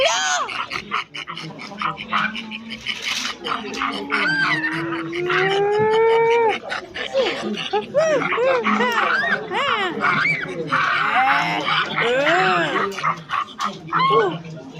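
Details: Silvery gibbon call sequence: a slow, drawn-out upward glide that climbs steadily for several seconds, breaking into rapid bubbling whoops and swooping notes that crowd together in an excited burst.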